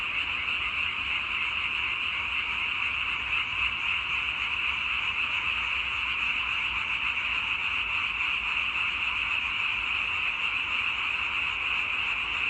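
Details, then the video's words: Many frogs calling at once give a dense, shimmering, high-pitched croaking hum that stays level from start to finish, nothing else clearly audible. "와성멍 (개구리 와, 소리 성, 멍 때릴 멍)"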